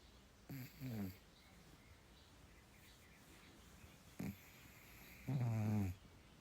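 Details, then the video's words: Sleeping domestic cat snoring: two low, rumbling snore breaths, one near the start and one near the end, each under a second long, separated by quiet breathing in a calm indoor room. "Snoring Kermit"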